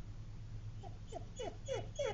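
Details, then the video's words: Pet dog whining to go to Dunkin' Donuts: a soft run of five short, high, falling whines that grow slightly louder toward the end, indoors, just after an owner asks about going. "Dog Whines to go to Dunkin Donuts"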